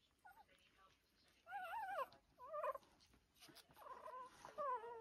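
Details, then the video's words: Two-week-old Lancashire Heeler puppies rushing to breakfast: wavering, whiny whimpers rise and fall in several bursts, each with a clear harmonic stack, separated by quiet gaps over about five seconds. "Lancashire Heeler puppies - Two weeks’ old today and the rush to the breakfast bar"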